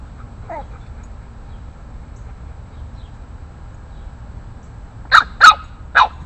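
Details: A Boston Terrier puppy, eight weeks old, stands up to larger neighborhood dogs. A long quiet stretch with one faint yelp, then three sharp, bright barks in quick succession near the end.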